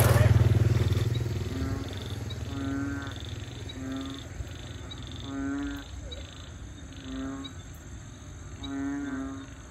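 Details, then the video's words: Frogs calling in wetland at Bình Quới, Thanh Đa peninsula, Ho Chi Minh City, Vietnam, where frog or toad species peep, croak and bellow; harmonic croaks recur roughly every second or two, with a brief loud low rumble at the start and high steady tones behind. "Frogs Singing In Saigon"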